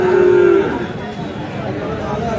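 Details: Friesian and crossbred bull calves at Aftabganj cattle market, Dinajpur: one short, steady, mid-pitched moo of about half a second, then crowd chatter and bargaining voices fill the rest.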